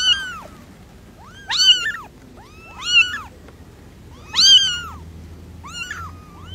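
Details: Kitten meowing in short arched high-pitched calls, about five spaced through a few seconds, each rising then falling, over a faint low hum.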